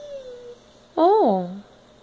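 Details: Indoors on a couch, Zara the cat gives a single drawn-out cry that swells upward and then slides down into a low, fading tail, following a faint thin tone in an otherwise quiet room.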